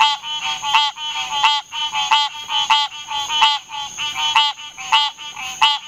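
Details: Green treefrog (Hyla cinerea) giving nasal, harmonic-rich honking notes in a steady series, roughly one to two per second, with overlapping calls suggesting more than one frog; background otherwise quiet.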